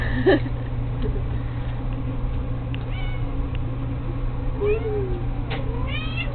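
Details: Playing with a fishing pole indoors, a domestic cat lets out a short sharp meow, then drawn-out wavering meows later on, over a constant low electrical hum.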